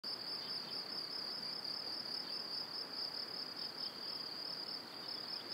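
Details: Crickets chirping in the evening near a cereal field and pine forest in Powidz Landscape Park, Wylatkowo, in spring: a dense, continuous high-pitched trill with steady pulsing, many insects overlapping, over a faint broadband background hiss.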